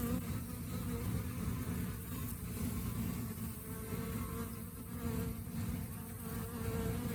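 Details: Continuous low hum of honey bees in rainy-season conditions, an even droning buzz with a faint higher whine rising and falling over it.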